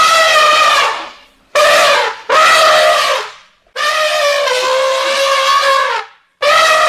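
African elephant trumpeting: loud, brassy, blaring blasts, mostly about a second long, with one longer two-second call that sags slightly in pitch.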